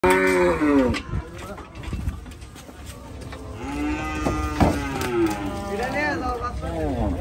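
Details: Large cattle being unloaded at Gabtoli cattle market in Bangladesh: several loud, harmonic moos, some bending down in pitch and others wavering, overlapping with one another amid crowd noise and clattering.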